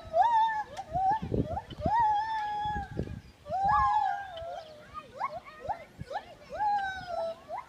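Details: Gibbon song: clear whooped tonal notes, each swooping up and then gliding level or downward, repeated roughly every second or two, with rough low bursts of background noise underneath in the first half.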